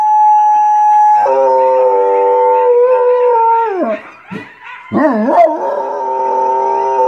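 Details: Domestic dog howling, a long steady harmonic-rich tone that wavers and breaks into yodelling pitch swoops midway, then settles back into a sustained howl.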